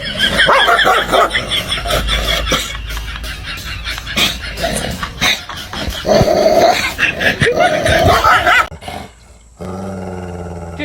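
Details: Pet dogs reacting to their reflections in mirrors, barking and yelping in quick, uneven bursts of harsh, harmonic calls with some growly notes, while a person shouts over them.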